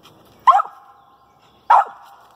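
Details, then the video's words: Treeing a squirrel in a pine thicket, the dog Pocahontas gives two loud, separate barks about a second apart, each trailing off in a short echo. "Lakebottoms Pocahontas treed with the squirrel"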